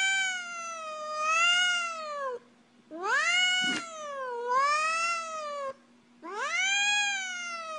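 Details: Cat with siren-like meowing, three long wailing calls each about two seconds, pitch swooping down then up like a siren, separated by short pauses; faint low hum behind.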